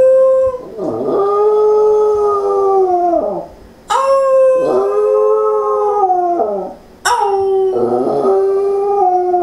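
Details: Sadie, a family's pet Pembroke Welsh Corgi, howling, something she normally does after someone leaves: three long wavering howls, each about three seconds, starting with a sharp onset then sliding gradually down, with a yip-like break at the start.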